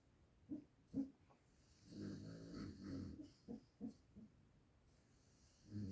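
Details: Sleeping pet dog snoring: short snuffling breaths and clicks, then a longer throaty rattling snore, followed by several brief nasal puffs and a final rumbling inhale.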